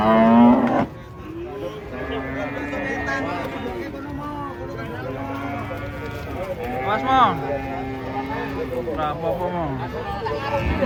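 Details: Giant, fierce cattle being unloaded from a truck low a series of long, steady, deep moos, one after another, with people talking nearby and outdoor background noise.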